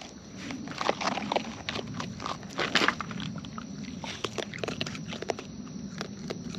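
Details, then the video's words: Close-up of wild raccoons eating, with loud crunching bites and snapping clicks in rapid, uneven bursts, peaking around the middle, over a constant faint outdoor hiss. "Wild Raccoons & ASMR Chewing Sounds"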